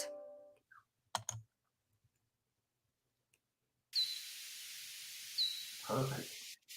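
Slowed-down echolocation pulses of a hoary bat come through as two short chirps that sweep downward, spaced about a second and a half apart against a constant hiss. A brief voice, a few clicks and a dull thump are also heard.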